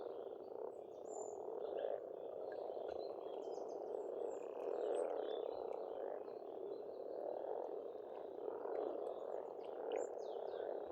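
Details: Frogs croaking together at a rural Estonian pond in spring, a steady low murmur that swells and eases in soft pulses, while faint bird chirps and whistles sparkle over the top.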